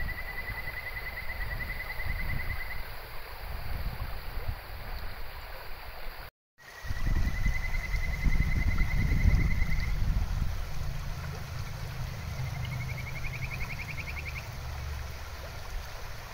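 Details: A kajika frog, an endangered species, gives long, clear, bird-like whistles and a rising trill over a rushing stream in its habitat.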